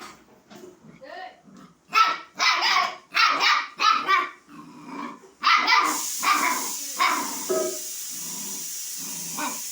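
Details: Puppy calling a kitten to play: soft yips, then a string of loud sharp barks; a steady high hiss rises in the background during the second half, with further quieter barks.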